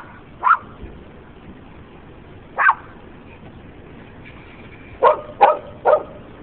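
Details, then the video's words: Dogs barking at a DK sign, single barks at half a second and near 2.7 seconds, then a quick cluster of three barks close together near the end, over low steady background noise. "Dogs barking at DK sign"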